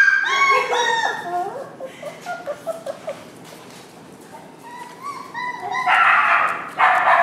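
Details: Homer, a Kai Ken puppy, the third pup of Kumi's fall 2011 litter, gives a run of high, harmonic whimpers and short yips, then a pause, then more thin whines. People talk in the background.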